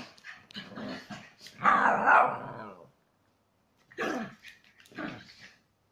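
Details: Chihuahua cross pet dogs in aggressive play: short rough growls and yaps in bursts, a louder snarling stretch near the middle, then two brief growling bouts after a pause.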